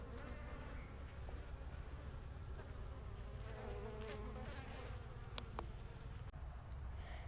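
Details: Honey bees at an opened beekeeping hive: a dense, low, continuous droning hum of many bees with a few brief clicks and handling noises.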